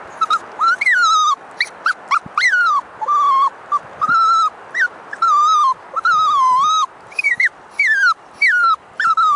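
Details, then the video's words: Twyla, a six-month-old female Toy Poodle puppy not keen on walks, sings outdoors with a steady run of high whines, many rising then falling, repeated every second or so. "Adorable Toy Poodle puppy sings on her walk."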